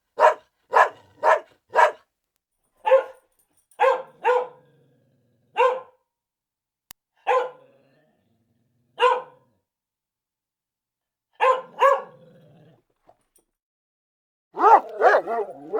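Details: Dogs at play barking in short sharp bursts, several quick barks then spaced single barks separated by silences, ending in a louder cluster of overlapping yaps.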